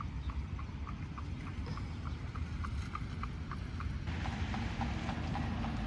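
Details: Horse pulling an Amish buggy in Lancaster, Pennsylvania, Amish country, in fall 2025: light, steady clip-clop of hooves a few times per second over a low road rumble, with the cadence shifting near the end.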